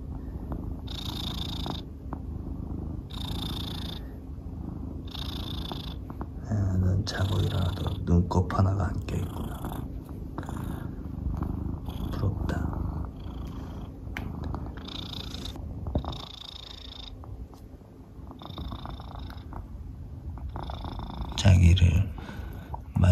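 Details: Soonmoo, a pet cat, purrs in low continuous waves during a morning petting session before its owner heads to work, with a man's soft speech and rustling touches heard over the rumble indoors.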